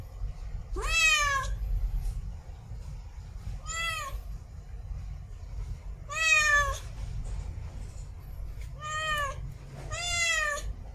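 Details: Female domestic cat in heat mate-calling with five loud, strained meows, the first rising sharply, spaced about two to three seconds apart, over a low steady hum.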